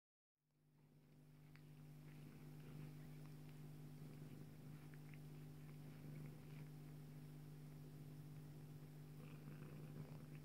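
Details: Bengal cat Joye, a mother nursing her daughter Leeloo, purrs in a deep, continuous, low rumble with a fast, even pulse, after a brief silent start; faint soft clicks and rustles sound above it.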